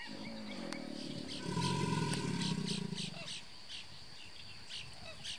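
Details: Large male American alligator at Brazos Bend State Park, Texas, USA, bellowing in reply to another alligator as mating season starts: a deep, rumbling, drawn-out roar swelling and fading over about two seconds, with faint insect or bird chirps behind.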